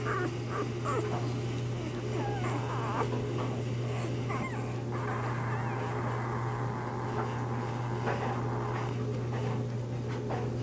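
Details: Bernese Mountain Dog puppies only days old, born to the mother Bear, whimper and squeal in a busy overlapping chorus of short wavering cries above a constant low hum.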